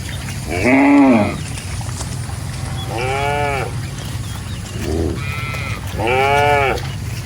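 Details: Grazing cattle roaming a rice field give four loud, rich moos, each about a second long with strong harmonics, the first rising then falling, spaced one to two seconds apart over a low rumbling background.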